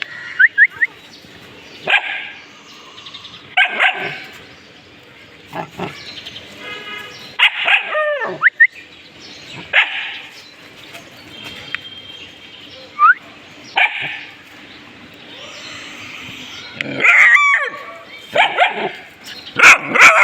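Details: Pet dogs react to a discovered object with scattered sharp barks and yelps spread through a fairly quiet stretch, busier and louder near the end.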